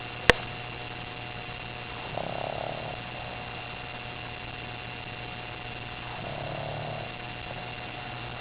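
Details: Gibson, an eight-month-old puppy, snores asleep on a couch after a bath and a hard day playing with other dogs and toys; two soft, breathy rasping snores about four seconds apart over a steady electrical hum.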